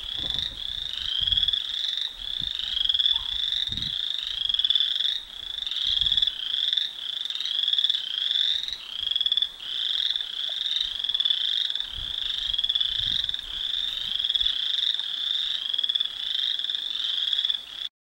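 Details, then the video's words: A steady, high-pitched chorus of frogs trilling together without pause in the evening. "Evening Frog Song"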